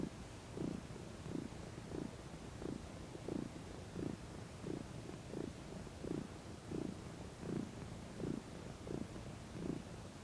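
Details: Domestic cat, a female, relaxing in the sun, with a continuous purr, a deep throbbing rumble that rises and falls in even pulses about every 0.7 seconds, very regular and uninterrupted.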